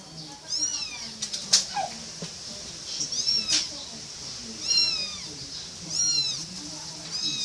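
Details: A little kitten gives short, high, down-curving meows roughly every second or so, thin and bright, with a faint hum and murmuring voices underneath.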